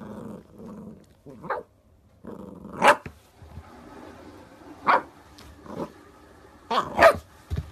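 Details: Corgi barking; sharp single barks at about 1.5, 2.9, 4.9 and 7 seconds, some doubled, between low growling rumbles and quiet stretches.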